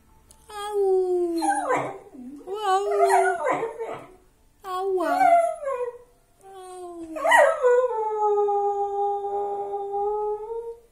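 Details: Pet dog howling indoors together with its owner in a casual howling session: long sustained tonal howls that rise and then level off or dip, several overlapping voices in bursts separated by short pauses.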